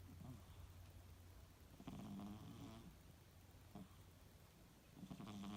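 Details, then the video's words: A 2-year-old female British Shorthair cat snoring softly during a catnap, with low, rough breaths rising and falling. "Cute british shorthair cat snoring 🐱😴💤"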